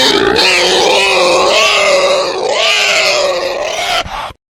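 A male wild boar gives a loud, harsh, drawn-out squealing call with wavering pitch.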